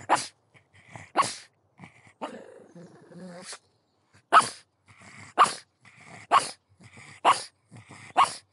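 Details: Barks from a pug in quick irregular succession, roughly one per second, interrupted midway by a longer rough growling whine.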